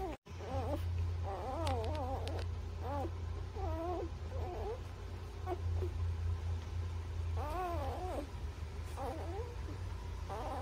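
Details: Newborn puppies between birth and three weeks old whimper repeatedly in quick, wavering, rising-and-falling squeals, some in short bursts, over a constant low humming background.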